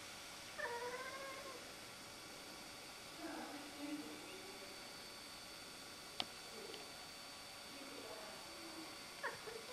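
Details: Siamese cat Rudy fussing at a rook perched in a tree over the road, giving a drawn-out wavering meow, a lower drawn cry a few seconds later and a brief final call, with a sharp click between them.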